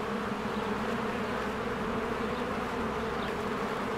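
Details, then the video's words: Spring beehive with many honeybees flying in and out, working diligently. Unbroken, even buzzing hum, a thick low drone layered with brighter fizzing wing noise that holds constant throughout. "1 Hour of a Beehive ASMR"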